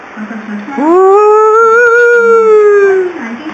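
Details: Pet dog called Jo Chai, said to bark wildly whenever told "88" (bye-bye), gives one long tonal howl: a quick upward sweep into a steady, slightly wavering note held for about two seconds, then tapering off, with soft voices around it.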